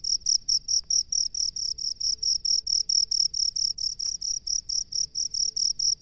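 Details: Cricket living in rice fields, chirping in a loud, high, ringing trill broken into short pulses repeated about twice per second, a steady evenly spaced rhythm with a faint low rumble beneath.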